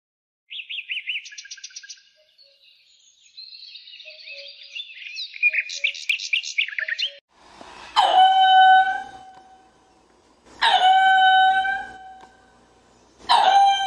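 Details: Lemur calls: a run of high chirping, warbling notes gives way to three loud, drawn-out harmonic wails spaced about three seconds apart.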